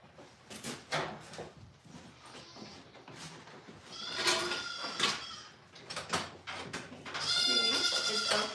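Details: Farm goat bleating amid clatter and talking: a short nasal bleat near the middle, then a sustained, wavering bleat at the end over background rustling and voices.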